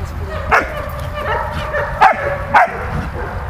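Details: Malta, a dog at play with Bulat, lets out three short separate barks about half a second to a second and a half apart against low constant background noise.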